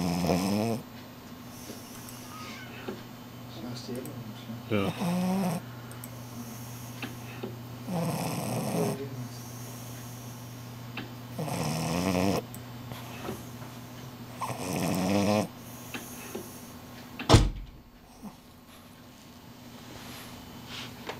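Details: French Bulldog Shila sleeping through an afternoon nap, producing five or six raspy, buzzing snores at irregular intervals, then a sharp knock or click and quieter breathing, with a soft low hum throughout.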